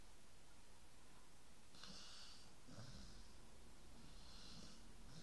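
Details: Snoring dog, a quiet start giving way to a run of close, raspy snorting breaths in quick succession over low indoor rumble.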